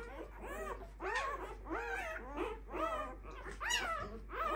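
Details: Clumber Spaniel puppies of a litter, five days old, giving a steady series of arched, wavering whimpers and squeals, one roughly every half second, overlapping at times, with a low steady hum beneath.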